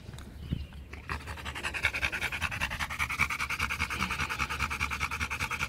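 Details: Rottweiler named Macho, a pet male dog, panting during a game of fetch: after a brief pause, fast, even, breathy huffs run at about two and a half per second and continue without a break.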